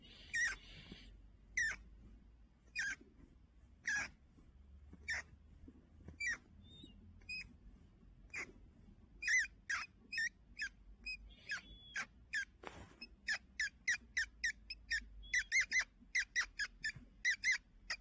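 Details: Pet fancy rat hiding under a blanket in Heilongjiang, China, on November 16, 2025, squeaking each time it is lifted from its warm spot. Short, sharp squeaks start sparse, then quicken into a rapid run of clicks near the end over quiet indoor hum.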